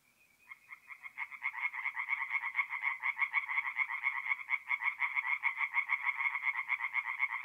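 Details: Tree frogs singing at night at a forest pond in north-east Italy in mid-April: a chorus builds from scattered notes into rapid, dense pulsed croaks in two bands, repeating about twice a second, with no other sounds.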